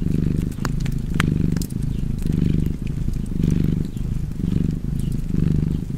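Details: Cozy purring cat beside a crackling fireplace: a low, rumbling purr swelling and fading in rhythmic cycles about every second, inhale and exhale phases clearly alternating, with sharp fire crackles and pops scattered above.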